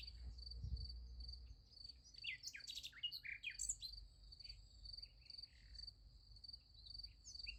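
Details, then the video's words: Crickets chirping at night by a sunflower field, a thin high pulsed trill underneath a cluster of rapid rising and falling bird whistles, with a low thump near the start. "Nice Sunflower Field with Crickets Sound Effect"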